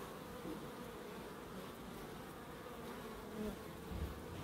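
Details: Bees hum steadily in a small wildlife garden beside an end terrace house in Crookes; a low, continuous drone with faint swells as individual insects pass closer near the end.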